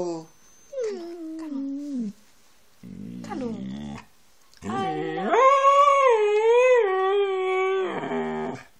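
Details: A Siberian Husky gives drawn-out, wavering howls with talky, yodel-like vocal inflections while its owner repeatedly says "I love you".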